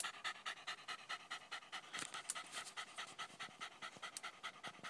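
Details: Jack Russell or fox terrier, with a small cut on its nose after killing a groundhog, panting heavily in a steady rapid rhythm of about two breaths per second, with a few sharper noises midway.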